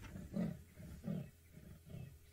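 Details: A leopard gives its rasping sawing call, deep hoarse strokes repeated about every three-quarters of a second, as it heads toward open ground ignoring nearby impalas while monkeys give alarm calls at its presence.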